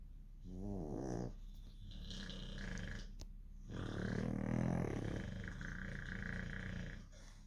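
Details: Dogs asleep and snoring: a brief buzzy, droning tone, then a long, rough, rasping snore with deep low rumble that swells and fades over several seconds in a quiet room.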